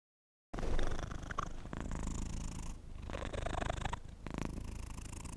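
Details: Domestic cat purring close up in a quiet indoor setting, a steady low rumbling drone that carries on after a brief silent start, with faint rustling and small clicks on top.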